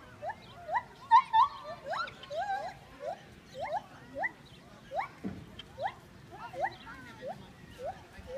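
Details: Gibbon singing at some distance: fairly faint, short upswept hooting notes repeated at an irregular quick pace, with a soft noisy background and one brief low thud.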